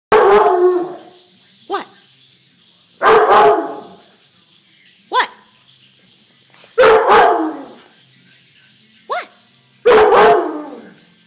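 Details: Dog barking in loud, harsh bursts, about every three seconds, each full bark alternating with a shorter, thinner yip; quiet room between barks.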